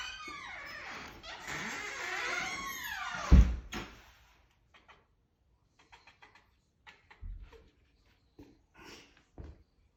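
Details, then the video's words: House cat reacting to a bug it sees for the first time: a quick run of arching, harmonic chirp-like calls over the first three seconds, then a sharp thump followed by scattered light taps and clicks in a quiet indoor room. "Cat makes noises - First time seeing bug"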